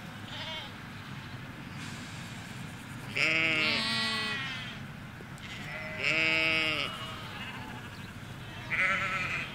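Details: Ewes and lambs in a Hampshire countryside field, recorded in stereo along a hedge: three wavering, harmonic bleats about three seconds apart, one faint early call, over steady low background rumble.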